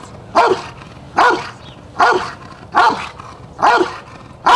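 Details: Jefe von Tonatiuh, an IGP3 Rottweiler, in a DVG America championship qualifying trial protection phase, gives powerful single barks, evenly spaced under a second apart, each a short loud burst with little else heard between.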